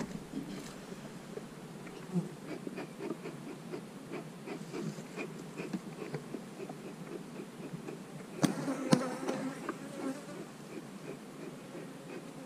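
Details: Honey bees buzzing at an open hive on split day in March 2020, when colonies are divided and queen cells checked; a faint, steady low hum with sharp knocks and clicks of hive handling near the end.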